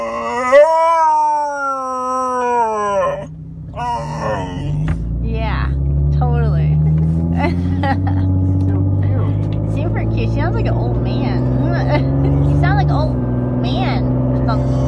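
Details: Four-month-old female Alaskan Malamute gives one long, slightly dipping howl for about three seconds, then falls mostly quiet under a continuous deep motor drone with a few faint squeaks.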